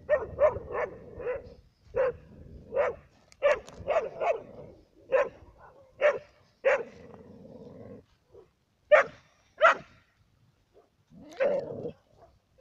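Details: Labradors and a hunter's dog in wintertime Cyprus bark in irregular bursts, clusters of rapid woofs broken by short silences, with a few higher, thinner yips toward the end.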